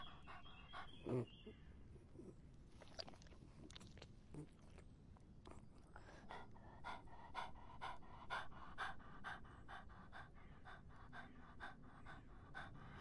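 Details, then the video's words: In the summer heat a dog slurps water in a run of gentle, rhythmic laps, about two per second. A single louder knock comes early on, and a faint low hum runs throughout. "더운 여름 강아지가 목 축일 때 나는 소리 The sound of dogs on their throats in the hot summer"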